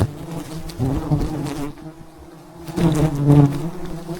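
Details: Disturbed bees from a giant wild beehive, high on a mountainside during a honey harvest, hum in a loud low drone that dips briefly before swelling again, with crackling handling noise.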